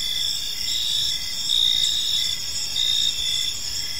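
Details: Crickets trilling through a calm park evening, bright high-pitched pulses overlapping in a thick chorus, with louder chirping swells around the middle and end of the short stretch.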